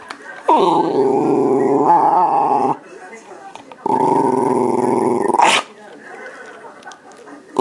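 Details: Shiba Inu dog indoors, drawn by the smell of a yogurt cup that turned out to be empty, giving two long sustained grumbling, growl-like vocalisations of about two seconds each, separated by a short pause, with a person speaking nearby.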